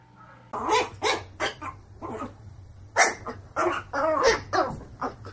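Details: Dog from a funny barking compilation, barking in rapid, hoarse bursts about twice a second, seemingly indoors, over a steady low electrical hum.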